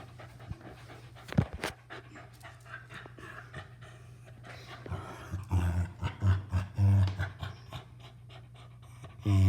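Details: Pet dog panting softly, then letting out a run of low, throaty grunting noises midway through, ending with a louder rough burst.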